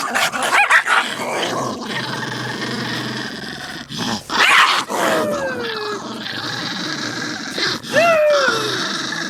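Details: Pet dogs fighting, rough continuous growling with snarls, punctuated by high descending whines and yelps near the middle and end.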